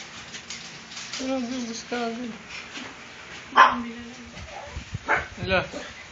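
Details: Kennel puppies at feeding time, February 24, 2014, give a few drawn-out wavering whines, followed by a sharp knock and a cluster of short squeaky yelps toward the end.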